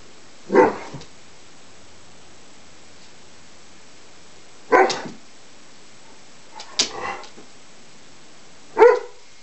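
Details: Play between Juno and Maverick, a Greater Swiss Mountain Dog puppy who is unsure about the game: four short, sharp barks at roughly two-second gaps, each a brief burst with quiet between.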